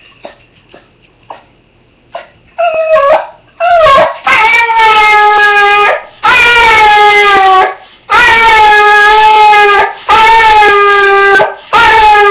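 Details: Dog in an argyle sweater crying after its owner leaves for work: a few faint short yips, then long, loud, wavering whining cries, each lasting one to two seconds, repeated with brief pauses.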